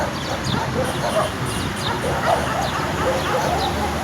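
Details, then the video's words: Several angry dogs bark aggressively in quick succession, harsh clipped barks and yelps blending together with no pause, set against a steady broadband hiss. "The sound of angry dogs barking"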